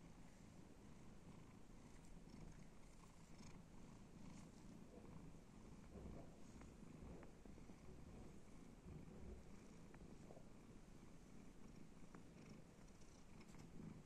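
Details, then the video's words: Domestic cat purring while being petted and scratched: a steady low rumbling purr, continuous throughout with slight pulsing, no other clear sounds. "cat purring"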